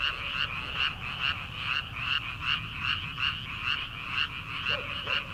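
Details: Early-summer night chorus of frogs in rice paddies before planting: steady, evenly pulsed rasping croaks roughly two and a half per second, with one brief lower call near the end.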